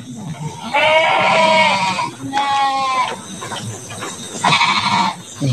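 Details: Large Garut sheep in a deluxe pen ahead of Qurban 2024; three long, wavering, harmonic bleats follow one another, with brief talk and background noise between them.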